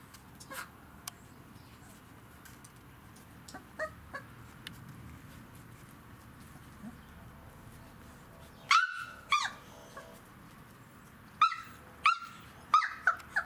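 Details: First kennel day for three-week-five-day-old Kicsi x Yeltsin puppies: mostly quiet with faint ticks, then sharp loud yelps in two bursts near the end, the last ones quickly repeated.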